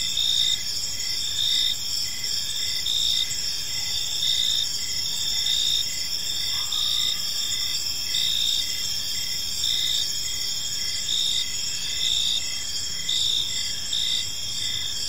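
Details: Crickets in a peaceful park as evening falls, a bright ringing chorus with regular pulsed chirps close to once per second, steady and unbroken throughout, a soft low hum underneath.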